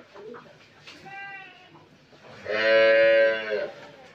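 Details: Pregnant Friesian cow on a dairy farm in Pabna, Bangladesh, with a faint short lowing, then a strong, steady, buzzy moo of about one second, amid low farmyard noise.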